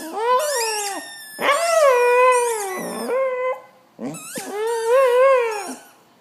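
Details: Female Glen of Imaal Terrier making loud, drawn-out howling, yodel-like vocalisations while playing with a squeaky football; three long wavering, harmonic-rich cries with bending pitch, separated by short pauses.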